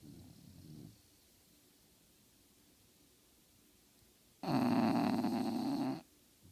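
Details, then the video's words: A napping female English bulldog that never wakes lets out a soft snore, falls silent for several seconds, then gives a strong, buzzy, drawn-out snore. "Sleeping and snoring, English bulldog never awakes from her nap"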